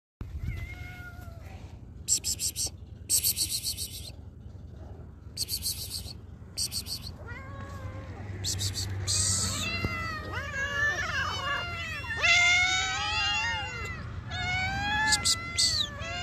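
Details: Hungry cats and kittens meowing and screaming for food: repeated rising-falling whining meows that grow denser and overlap after eight seconds, several voices at once, with intermittent broadband clattering bursts early on.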